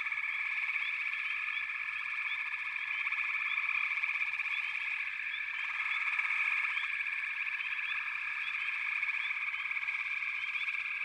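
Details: Backwater frog chorus: a dense, unbroken wall of trilling voices with short rising chirps scattered over the top, swelling slightly near the middle.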